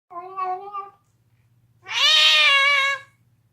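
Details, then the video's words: Deaf domestic cat gnawing on a bone indoors, making odd screaming noises: a short wavering mid-pitched wail, a pause, then a louder, harsher, drawn-out yowl lasting about a second over a steady low hum. "Screaming cat gnawing on a bone makes funny noises"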